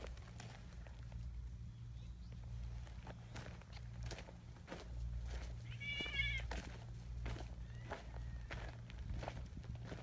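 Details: Community cats gathering along a mountain path: a single wavering, harmonic meow rises and falls around the middle, set against steady footsteps and a low continuous hum.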